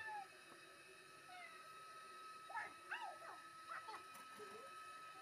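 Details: Wary stray tomcat called La Ganas, an alley cat that runs off when approached, calling while being fed; a quick run of short, bending meows midway, then fainter ones, against a constant electrical hum.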